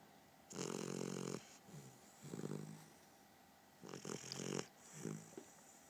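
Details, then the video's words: A puppy asleep, giving loud buzzy snores with a steady low hum inside each one: a long rasp, a short soft one, another, then a strong long snore and a fading final breath over about six seconds. "Snoring Luna Puppy"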